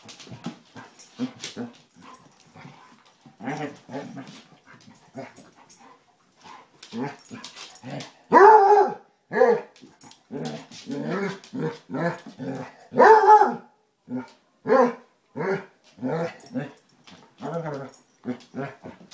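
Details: Basset Hounds, an adult and a new puppy, playing and rough housing indoors: scattered soft grumbles and panting build into a rapid series of short, sharp yips and whiny squeals, with two louder high yelps standing out.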